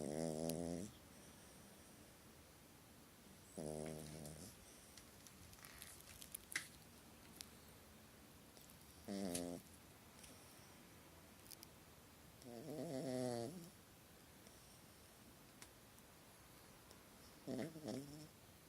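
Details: Little dog snoring in its sleep during a nightmare, indoors; five short buzzy, rasping snores spaced a few seconds apart, some uneven and fluttering, with faint clicks and rustles between them.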